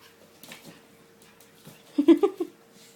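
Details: Kia's seven-week-old puppies at play, giving a brief cluster of low, gruff yips and growls packed into half a second, after near quiet with faint scuffling.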